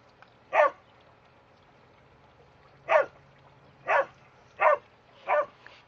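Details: Border Collies Starbuck and Trixie playing in the sprinklers; five sharp barks spaced about one second apart after an opening gap, each short and bright over a faint low hum.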